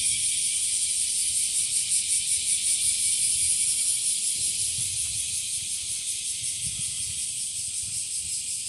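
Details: Chorus of bear cicadas (washiwashi), now spreading and calling both in trees and in grassy patches, a loud hissing buzz pulsing rhythmically about two to three times a second with an unbroken shrill whine.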